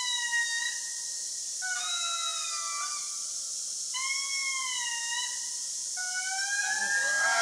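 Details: Indri lemurs sing in the Andasibe Forest, Madagascar, with long, pure wailing notes that hold steady, then step down or swoop upward. The song carries about 2 km and signals location, warns other groups from the territory, and attracts mates.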